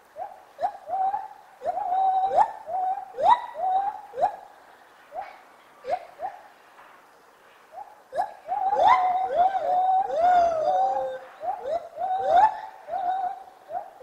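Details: Gibbon singing in the morning: clear whistled hoots repeated in quick bursts, building to rising and falling swooping notes with overlapping voices, then short hoots again.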